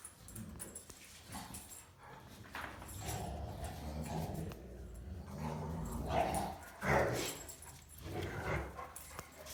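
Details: German Rottweiler pups, three of them, playing hard and fighting with one another: scattered short yips and whining whimpers rise over a low rumbling background, loudest around the seventh second.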